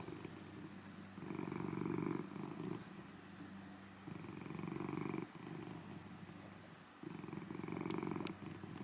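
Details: A large golden tabby Scottish Fold cat gives a loud, deep, rumbling purr that swells and fades with each breath, its snores turning into purrs.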